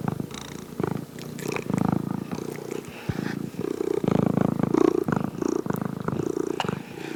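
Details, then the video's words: Close purring of a cat, low vibrating rumble rising and falling with each breath, swells roughly every second, loud and clear throughout. "Cat Purrs"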